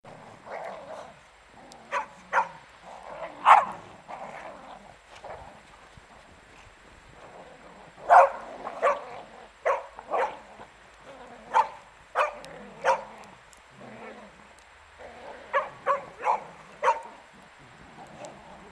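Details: Beagle playing with a shirt, giving short sharp barks and high yips in irregular bursts, clustered near the start, in the middle and toward the end, with quiet pauses between.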